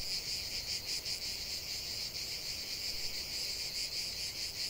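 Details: Short burst of cicada song outdoors: an intense, shimmering high buzz with slight swells in loudness, continuous and dominating the scene, no other callers audible.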